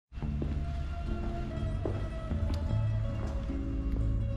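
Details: Instrumental music with plucked and sustained tonal notes plays throughout, with no animal sound.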